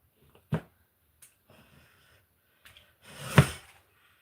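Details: A large captive West African Gaboon viper, provoked on purpose, gives a deep, breathy warning hiss after a sharp knock; it showed no aggression.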